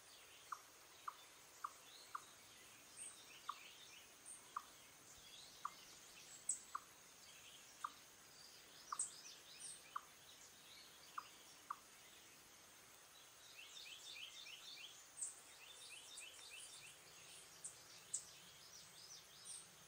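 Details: Wild Eastern chipmunk sounding an alarm or warning: low, clipped chuck notes about every three-quarters of a second for twelve seconds, then sparser, while small birds chatter and twitter in the background.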